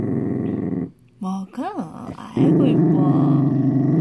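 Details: While eating a homemade treat, a frightened Dachshund growls: a steady low rumble, a quick pause with a couple of sharp rising-and-falling whimpering notes, then the deep growl returns.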